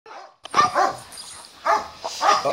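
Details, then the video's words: Dogs barking during a lunch break, three sharp harmonic barks about a second apart, each with a falling tone, over a quiet background. "собаки гавкают"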